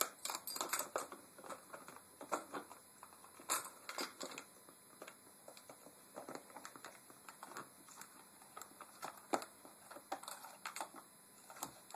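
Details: Indoors, a rapid jumble of light clicks, taps and crinkling rustles comes and goes, with a faint steady hum behind, and no barks, whines or other animal voices.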